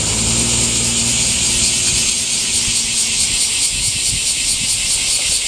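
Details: Summer cicada chorus, a continuous shrill buzzing with a fine rapid pulse, loud and unvarying; a low engine hum and faint vehicle drone sit underneath at the start.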